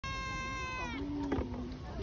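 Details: A Persian cat, out camping, lets out a steady, clear meow lasting about a second, its pitch dipping as it fades, followed briefly by a low human voice.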